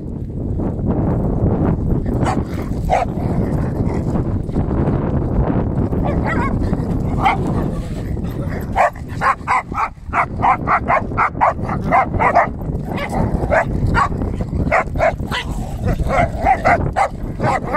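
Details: Schnauzer barking amid a busy, noisy scene; after a rumbling start, sharp barks come in quick repeated bursts from the midpoint onward, several per second, over steady low background noise.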